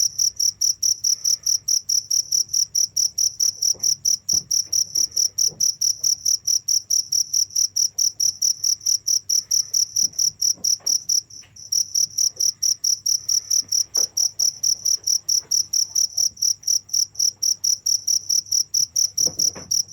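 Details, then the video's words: Long run of rapid, piercing cricket chirps repeated over two per second, briefly breaking off once midway, with faint scattered clicks and rustling beneath. "without stopping the sound of crickets for 15 minutes"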